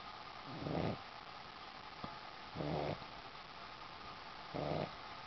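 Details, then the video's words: A Boston Terrier sleeping on a sheepskin snores in slow, rumbling breaths, one about every two seconds; Boston Terrier. "dog snores by ziggi, a boston terrier"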